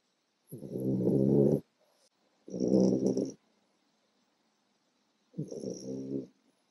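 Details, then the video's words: Four-month-old French bulldog puppy asleep after a tiring day, snoring loudly like a bear: three long, low, rattling rumbles, each about a second long, separated by quiet pauses. "French Bulldog Puppy Snoring Like a Bear"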